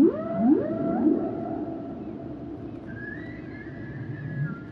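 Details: Humpback whale song with quick upward-swooping cries in a short series, followed by a long high drawn-out tonal note that wavers slightly, over constant low underwater rumble.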